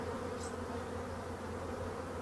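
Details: Colony of black honey bees in a neglected hive under restoration: an even, continuous buzzing drone with stacked low tones and no breaks, plus one faint high chirp early on.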